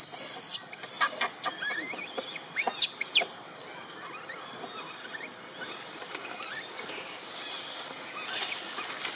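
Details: Wild baby monkey Britta crying loudly after her friends left, before Spring hurries to comfort her: high, wavering squeals that rise and fall in quick bursts over the first three seconds, then fade into a steady background hiss.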